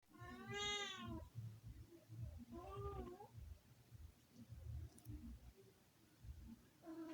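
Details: Pet cat named Sky, indoors, talking to himself: two drawn-out harmonic meows, the first longer and bending downward, the second shorter and rising then falling, with a faint third starting at the end, over low room rumble.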